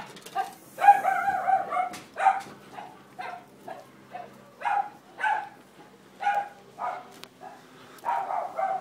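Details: Female Jack Russell-Fox Terrier cross adopted from a shelter, barking at a Labrador to tell it off: a long run of sharp, mid-pitched barks repeated roughly every half second, steady and insistent, with no other clear sounds.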